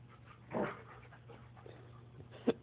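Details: German shepherd and Labrador puppies play-fighting indoors: a short rough growling burst, then a sharp high yelp near the end, with quiet background hum between.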